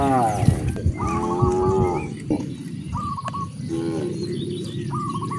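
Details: Cows roaming freely on their way to vast grasslands moo in low, drawn-out calls, several animals overlapping amid outdoor background noise.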